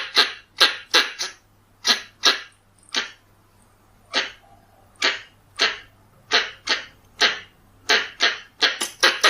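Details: Lure recording of a Pallas's squirrel. Sharp noisy barks start in a quick cluster, thin to single spaced notes near the middle, then speed up again into clipped doubles. A low hum runs throughout.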